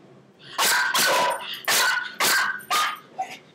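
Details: Pomeranian Chihuahua mix at a latched walk-through pet gate, which it opens. Four sharp, high yapping barks sound about half a second apart, with a softer yip at the end.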